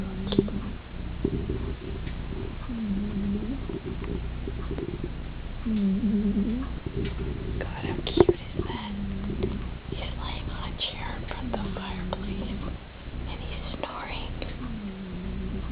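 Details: Spooky, a male Persian cat, snoring while asleep in his bed on a chair by the fireplace at bedtime; soft droning snores rise and fall roughly every two to three seconds, with faint whispery rustles and clicks in between.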